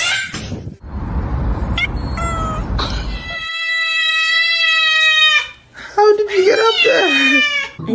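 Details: Domestic cat making a strange, long steady meow lasting about two seconds after a burst of rustling, then a wavering, falling cry mixed with people talking indoors.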